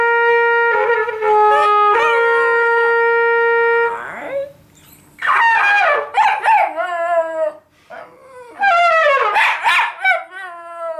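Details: Gary, a pet Schnoodle, 'talking' at home during a household conversation. He holds a long, steady, flat-pitched whine, then breaks into wavering, yodelling yowls that rise and fall in short bursts.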